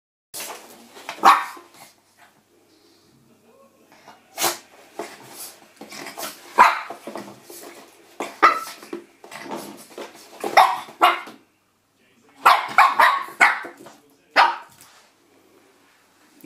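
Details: Shih Tzu puppy attacking a door stop indoors, giving short, sharp yapping barks and rough growly bursts in irregular clusters, with quiet gaps between flurries and faint room noise.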